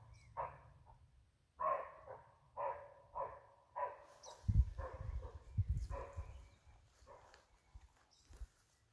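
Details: Barking deer in Halland, Sweden, in May, giving a series of short, hoarse barks spaced roughly half a second to a second apart, some doubled, over low wind rumble and faint outdoor noise.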